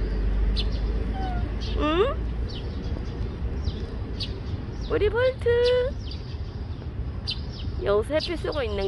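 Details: Stray cat Bolt meows three times outdoors: a short rising cry, then a longer level, drawn-out meow, then a bending call near the end, over steady low background rumble and scattered bird twitters.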